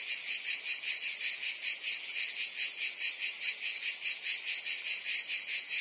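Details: A Provençal summer cicada chorus in France: an intense, sizzling high buzz beating in quick regular pulses, roughly two or three a second, with no other sounds.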